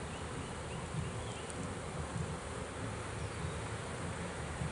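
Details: Honey bees from a swarm taken in a trap, handled as they are pulled out: an unbroken low, rough humming drone with gentle swells, with no other clear sounds.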